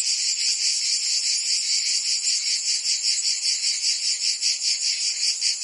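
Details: Provence cicadas in summer, France, producing a bright rasping buzz that throbs rhythmically about two and a half times per second, a continuous chorus with nothing else audible.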